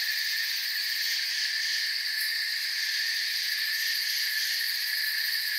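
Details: A continuous shrill drone of crickets in a forest, stacked in bright high bands. A brief brighter chirp stands out near the two-second mark.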